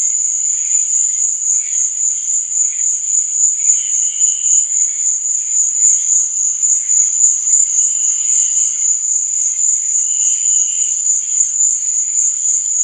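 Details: Crickets chirping at night: a steady, high, shimmering trill runs unbroken throughout, with softer, lower chirps surfacing here and there beneath it.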